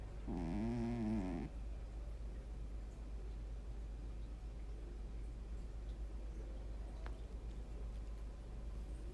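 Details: Sleeping cat giving one droning, nasal-toned snore lasting just over a second near the start, then only quiet breathing against a constant low hum.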